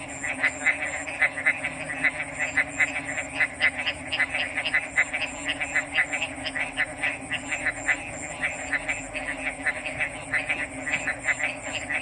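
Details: Chorus of frogs giving quick rhythmic croaks, roughly two or three per second, overlapping into a pulsing rattle, with a constant shrill high-pitched drone running underneath throughout.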